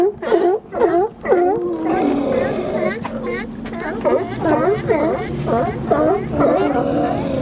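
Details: Close-range barking from sea lions in Nanaimo, BC: a few loud, separate honks, then a dense stretch of rapid, overlapping barks from multiple animals, with a constant low rumble of background noise.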